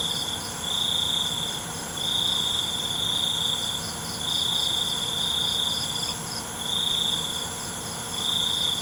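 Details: Crickets calling at night with a bright, thin trill in regular bursts of about one to one and a half seconds, backed by a continuous high insect hiss.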